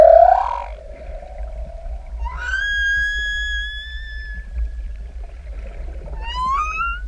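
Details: A single humpback singer beneath swimmers in open ocean: a brief loud moan fading into a low drone, then a long pure whistled note that rises at the start and holds steady, and finally a quick upward-sweeping cry.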